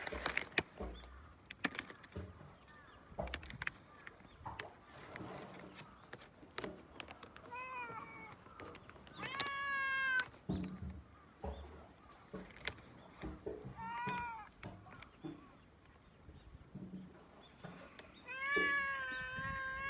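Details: Domestic cat on a Japanese cat island, sneezing while being petted; several short harmonic meows around the middle and a louder drawn-out meow near the end, over soft rustling and handling noise.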